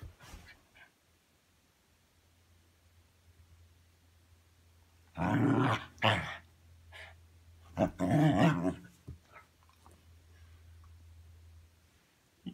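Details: Pet dog making noisy growls while playing indoors; two loud, rough growling bursts in the middle, quiet between, with a steady low hum in the background of a small room.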